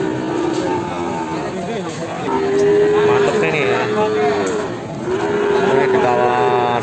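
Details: Limousin cross cattle in the morning: drawn-out, steady low moos repeated several times, each lasting about a second, with people talking in the background.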